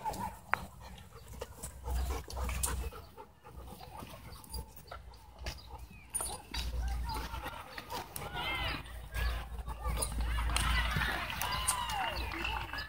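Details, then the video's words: German Shepherd mix named Luna playing intensely with Bodhi, a German Shorthaired Pointer, at a dog park; short rising and falling whining, growling vocalizations in quick bursts, densest near the end, over low wind rumble and scattered human speech. "Super Intense Dog Play With German Shepherd Mix Luna"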